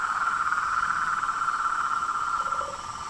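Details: Frogs and toads calling in chorus: a steady, fast-pulsed buzzing trill throughout, with a brief lower note near the end.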